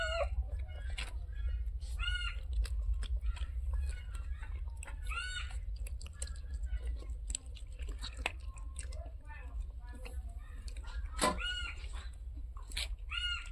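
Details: Cats waiting for fish meow repeatedly in short arched, harmonic cries every one to three seconds, over a steady low hum with scattered clicks and some human speech.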